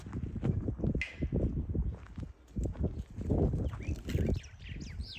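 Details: Wild boar piglets resting at a farm give a steady run of low, breathy grunts and snorts in quick bursts, with a brief higher squeal and faint chirping in the background.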